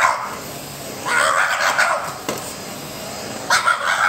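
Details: French Bulldog barking at a vacuum cleaner as part of a morning routine at home, a strained, squeezed-out bark in two short bursts about two seconds apart over a steady motor hum.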